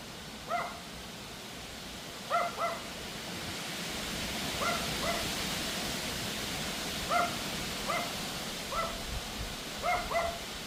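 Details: At 6:58 pm on August 2, a Pomeranian gives high, sharp barks in ones and pairs at a wind storm, over a steady rush of howling wind.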